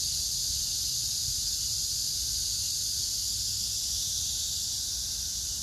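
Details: Cicadas with other grass insects on 9 August 2024 among pink crape myrtle blossoms at Hwarang Park, Choji-dong, Danwon-gu, Gyeonggi, South Korea, in summer: a steady, high, hissing drone that never pauses.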